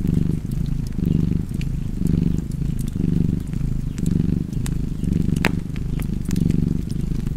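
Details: Purring cat with a fireplace: deep, rhythmic rumbling that swells and fades about every second, under light snaps and a sharp pop from the fire.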